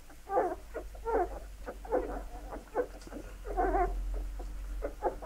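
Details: Several Labrador Retriever puppies being fed, whining in bursts of nasal, wavering squeals that overlap, with a steady low hum beneath.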